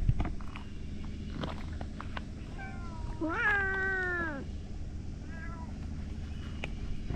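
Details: Outdoor stray cats, one loud drawn-out meow falling in pitch over about a second, with fainter shorter meows before and after, over steady low traffic rumble.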